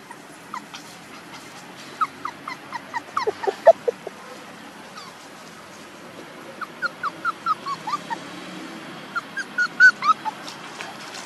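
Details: Puppies about one month old whine in bursts of short, high, arching squeals, a busy cluster in the first four seconds, then quieter pauses and further clustered cries, more pups seeming to join, over a constant hiss.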